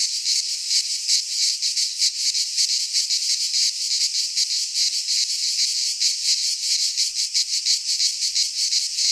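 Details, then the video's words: In a Greek pine forest in midsummer, cicadas sing together as a steady high hiss-like rattle, throbbing in fast rhythmic surges; the chorus never drops out and nothing else is heard. "Cicadas singing in midsummer - Nature sounds from the Greek fauna - Sounds of cicadas"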